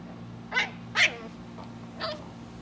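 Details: Three-month-old West Highland White Terrier puppy making three short, thin, high yaps spaced unevenly, quieter against a constant low hum.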